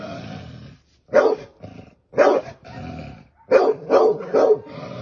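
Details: A dog attacking a snake gives single harsh barks about once a second, then a fast run of three, with a steady low growl underneath.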